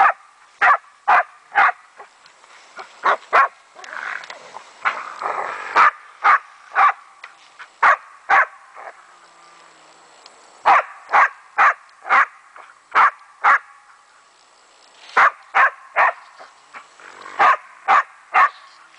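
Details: Rapid barking from Meya, a German wachtelhund at play with a raccoon dog: crisp barks in runs of three to five, roughly two a second, broken by short pauses and a brief scuffling, rustling patch.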